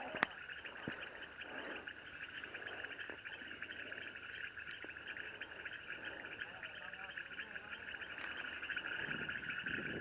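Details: Loud frogs croaking by Lake Ypacaraí, a dense, unbroken chorus forming a steady ringing drone with no pauses, a few sharp clicks and low murmuring voices in the background.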